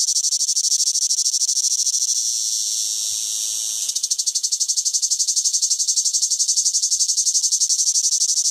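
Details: Cicada singing in summer: a dense, shrill high-pitched buzz that holds steady, then breaks into a fast pulsing throb of about four beats per second. No other sounds.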